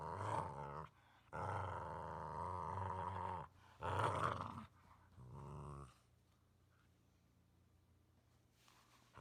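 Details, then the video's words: Sleeping Boxer snores in harsh, rattling bursts. Four breaths come in quick succession, each lasting about one to two seconds, before the sound fades to near silence for the final few seconds. "Snoring Boxer"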